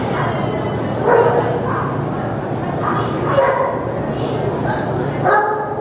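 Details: Giant Schnauzer at a CPE agility trial giving short, harmonic barks in bursts near the start, middle and end, over a steady background of people talking and hall noise.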